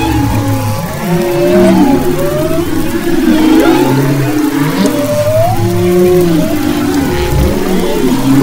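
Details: Off Maui's west coast in February 2011, humpback whales sing: long level moans, curling upswept cries and warbling mid-pitched tones weave together over a low steady hum, phrases returning every second or so.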